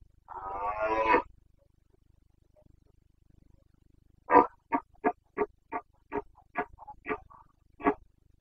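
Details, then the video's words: Red deer stag of the Carpathians in rut, Bucovina, Romania, 29 September 2022, gives one drawn-out throaty roar, then after a pause a rapid series of about ten short, barking grunts. "Boncănit / Carpathian stag Breeding season"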